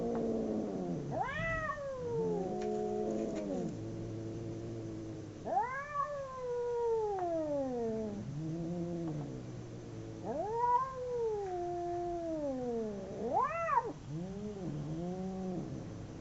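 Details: Two domestic cats howling during a fight: long wavering yowls that rise then slowly fall, overlapping and answering each other, with lower moaning tones between louder swells.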